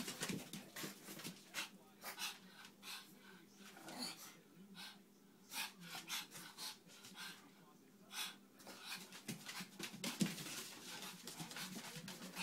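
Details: Two sibling Pekingese dogs, a brother and sister, snorting, huffing and grunting in quick, noisy bursts while running around and wrestling in rough play.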